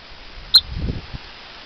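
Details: Rock chuck or woodchuck on an evening in western Colorado, chirping at people and dogs from big rocks: a single sharp, high whistled chirp, brief and clear, followed by low rustling.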